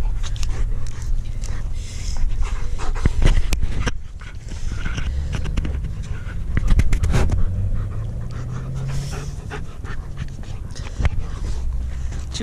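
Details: German Shepherd panting heavily and irregularly while mouthing an arm, a man telling it to chill, breathy puffs mixed with rustling and thumps over a constant low droning hum.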